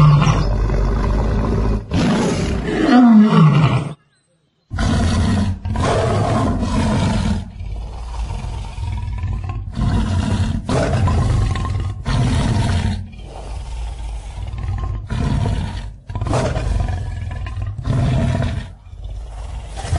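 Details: Lions in Luangwa Valley, Zambia, feeding and playing together as a family: a run of deep rough growls and snarls, some with a rising then falling tonal arc, broken by short gaps and one brief silence.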